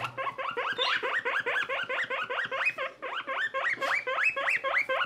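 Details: Little skinny guinea pig Boniface, a pet sharing space with friend Pushok: bright rising squeals delivered in quick succession, each a sharp upward-swept note, pausing briefly near the middle before resuming.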